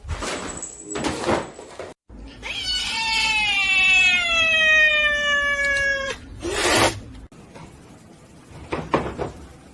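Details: Domestic cat giving one long, drawn-out meow of almost four seconds, rich in overtones, holding steady and then sagging slightly in pitch, framed by short noisy bursts before and after.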